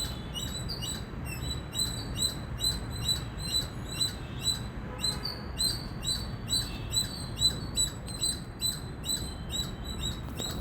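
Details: Loud chirping from an Indian squirrel, short piercing high notes repeated quickly in a regular chain, slightly pulsing in strength, with steady low background rumble.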